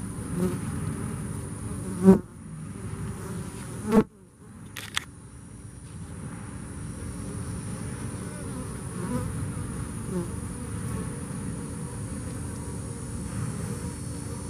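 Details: Low, rough droning of bees after Hurricane Harvey, broken by sharp knocks or clicks at about two, four and five seconds, then settling back into a steady hum.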